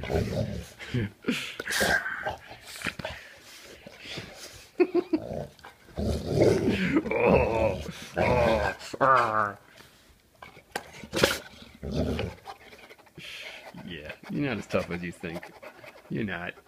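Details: English Golden Retriever named Lipton growling during a game of tug of war with her Kong toy. Low, rough growls rumble in uneven bursts, interrupted by a person's teasing talk and laughter.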